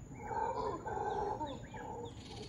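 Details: Howler monkeys in trees outside a hotel room in Costa Rica, howling at dawn to communicate and mark territory; a sustained, droning roar with layered harmonic bands, steady throughout with slight rises and falls.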